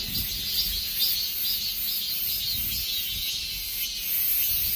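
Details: Dozens of cicadas performing together as summer ends, making a shimmering, high buzzing wall of sound that wavers gently in loudness without pause.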